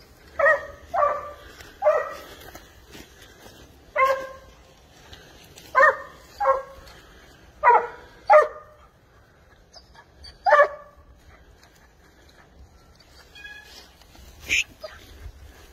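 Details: Spanish hound on the trail of wild boar, baying in single and paired ringing, tonal barks spaced about a second apart, fading to sparse calls and a final sharp yelp.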